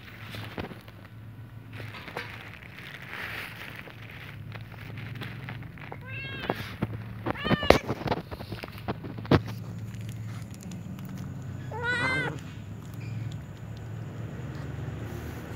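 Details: Little cats meowing around a ginger cat eating a meatball, wanting to snatch its food; a few short, chirpy, wavering meows in the middle and near the end, with clicks and low background rumble.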